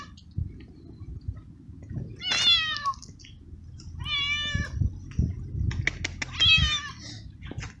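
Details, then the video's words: Homeless male cat in heat calling loudly for a female and begging for food: two clear drawn-out meows with rich harmonics, a shorter broken cry near the start, low background rumble and scattered clicks. "Street Cat Meowing Loud And Asking For Food"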